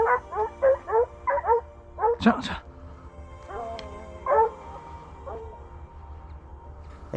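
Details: Pack of hunting dogs just released into a cornfield on the first day of a roe deer drive hunt, giving tongue on a scent; a quick run of yelping bays, then scattered howled notes, with a voice speaking briefly over them.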